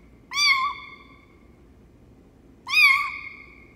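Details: Lucy, a runt foster kitten being raised for a local shelter, gives two high, thin meows about two seconds apart, each sliding slightly downward with a bright harmonic stack, in a quiet indoor room.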